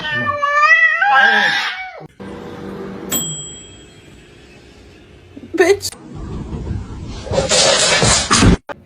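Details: Domestic cat giving a loud, wavering meow with rich harmonics that rises and falls over about a second and a half, followed by a person talking, knocks, and a burst of broad rustling noise.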